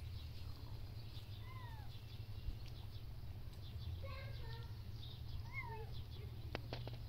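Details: Kittens living outdoors in a wooden shelter while their mother cleans them. Faint, thin meows slide downward in pitch, heard about four times spread through the stretch, over a steady low rumble and a few soft clicks.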